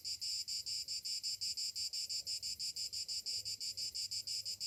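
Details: Summer morning cicadas: a loud, dense buzzing chorus pulsing in rapid regular beats, about three pulses a second, steady throughout with no other clear sounds.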